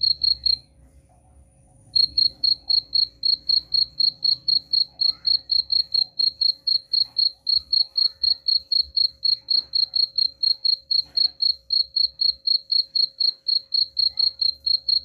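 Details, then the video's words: Cricket chirps used to repel rats: high pulsed chirping starts, pauses briefly after the first second, then resumes as an even stream of about four chirps per second. Soft low background hum throughout. "suara jangkrik pengusir tikus ampuh"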